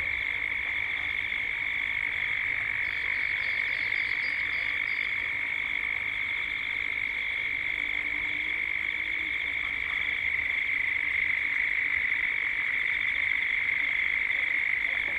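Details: Cicadas at dusk in Gippsland, Australia, in a 3D soundscape: a dense, sustained high-pitched buzzing chorus with a pulsating upper layer, plus a short faint whistled note early on, possibly a bird.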